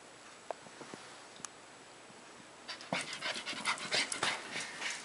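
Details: Border Collie, quiet at first with a few faint taps, then breaking into fast rhythmic panting of about three breaths a second over the last two seconds.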